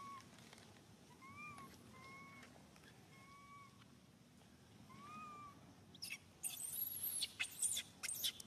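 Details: Baby monkey SUCA crying out loudly while hurting after Susan's grab, four clear tonal wails with a slight arch, a person's exclamation, then loud rustling and scraping noises at the end.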